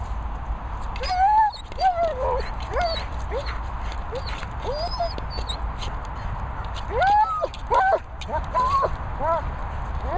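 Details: German Shepherd whimpering: a series of high, thin whines with rising and falling bends, clustered around one to two seconds and again near seven to nine seconds, over a steady low background hum.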